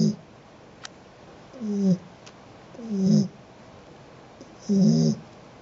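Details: House cat snoring: three rough, low, vibrating snore breaths at irregular gaps of about one to two seconds, with a couple of faint clicks in the quiet background.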